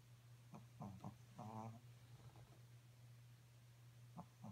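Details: Pekingese dog snoring while asleep: a cluster of short, rough snorting breaths in the first half, then quiet, with two more brief snorts at the end, all over a steady low hum.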